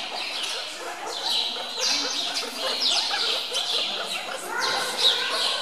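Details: Hungry meerkats at Zoo Augsburg being fed chicks, chasing one another to snatch food away; a dense chorus of high, squeaky chirps and short squeals overlapping almost without pause.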